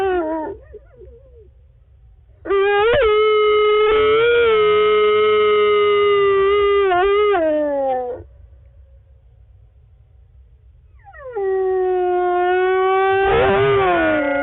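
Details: Nocturnal howling from wolves Lava and Tyke, Wolf Conservation Center, South Salem, N.Y.: two drawn-out, wavering howls split by a few seconds of quiet, the second ending in a short, broken, rising flourish.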